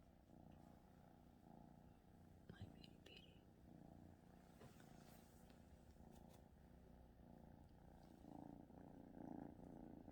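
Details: A cat named Lemon purring indoors after coughing, alongside another cat, Petey; a steady low rumbling purr in rhythmic pulses runs throughout, with soft speech and a few faint clicks and rustles over it.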